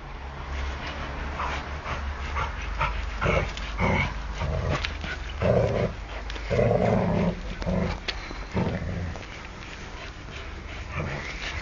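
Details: Harry, a pet English Mastiff, battles a broom with Cleo the German Shepherd nearby; deep, irregular growling bursts and gruff barks about once a second, with clattering, laughter and human voices in the background.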